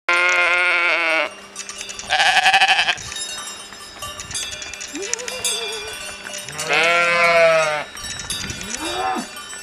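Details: Sheep and cows calling back and forth in the Lauterbrunnen Valley, Switzerland: several wavering, nasal bleats and a lower drawn-out moo-like call, with cowbells clanking throughout.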